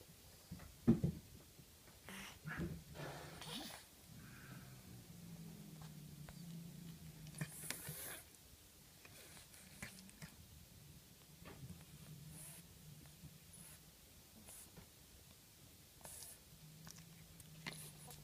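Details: Sleeping pet cat named Hime, with slight rhinitis, snoring indoors in a small room: low droning snores in long drawn breaths every few seconds, with scattered rustling and clicking noises between them.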